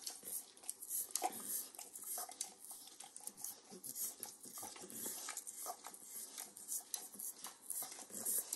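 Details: Close-up of a 9-year-old Pit Bull dog in a kitchen eating overcooked bacon. Moist smacking licks and soft nibbling clicks come in quick uneven runs, and a faint clink of dishes sounds now and then.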